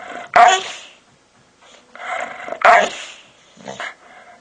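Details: Pet dog making odd vocal noises to get someone's attention: short harsh yelping bursts at the start and near three seconds, linked by lower moaning, whining sounds, with a brief final yip; indoors and otherwise quiet.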